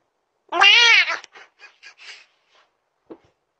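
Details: Cat giving one loud, drawn-out meow with a rising-then-falling pitch, followed by a few softer short sounds and a brief faint sound near the end, in a quiet setting.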